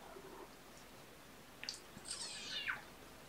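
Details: Kitten of the Olympian litter, with mother cat Olympia, indoors on a weekend morning, 18 February 2018: one thin, high mew sliding downward, preceded by a brief faint squeak, over a low steady room hum.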